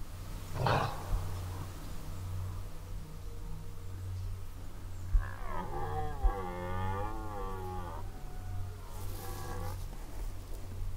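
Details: Red deer roaring during the 2019 rut in a forest: one deep, harmonic, wavering roar lasting about three seconds against a steady low hum and faint background noise.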